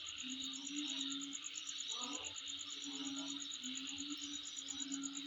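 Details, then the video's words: Insect calling near the recordist's home: a steady, fast-pulsed high trill runs throughout over a broad hissing chorus, with low hoot-like notes repeating in short phrases beneath. "Sound Of Insect In My Place"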